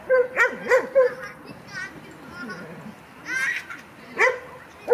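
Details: Kleiner Münsterländer puppy Franzi, a 16-week-old female, at her first play session with mostly adult dogs. A quick run of high, sharp barks, then softer yips and whimpers, a later burst of barking, and human voices talking nearby.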